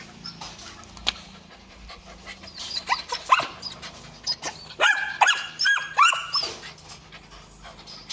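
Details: Belgian Malinois breeding male, imported stock, at a dog kennel; a run of high, thin whines and yelps with rising and falling tones, clustered around the middle of the recording, over faint background noise.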